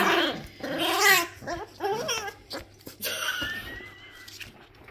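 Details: Labrador Retriever puppies at play indoors; wavering, whiny growls rising and falling in pitch, followed by a thin high whimper that slides downward, with rustling in the background.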